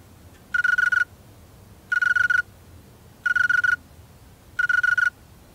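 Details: Wing-made song of a male snowy tree cricket: four evenly timed chirps, each a rapid run of pulses on one clear tone, about 1.3 seconds apart, against a quiet background.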